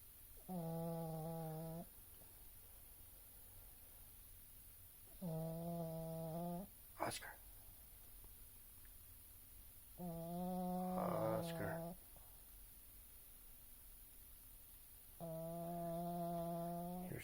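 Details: Oscar the pug, fast asleep indoors, snores four times, roughly every five seconds. The steady, humming, whistly snores last a second or more each, with a couple of sharp knocks and a brief rustle in between.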